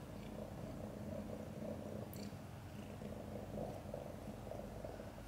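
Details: Mother cat Chan purring during a difficult labor delivering five kittens, some born backwards. A steady, low, rumbling purr pulses in an even rhythm throughout, with a brief faint click near the middle.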